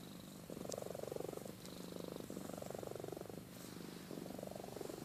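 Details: Amy the cat asleep, her soft vibrating purr rising into three hushed snoring bursts about a second long, with a faint click or two in the background.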